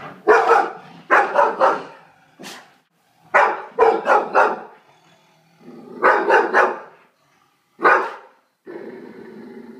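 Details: A pet dog barks at a Bengal tiger shown on television, giving harsh barks in quick bursts of two or three with short pauses between, followed by quieter television sound at the end.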